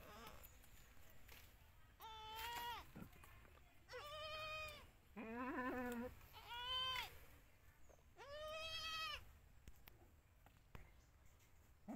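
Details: Bleats of a newborn Indian goat kid recorded in 2021, roughly six calls spaced one to two seconds apart. Most are bright, slightly wavering cries. One lower, trembling bleat sounds midway. Soft background noise runs throughout.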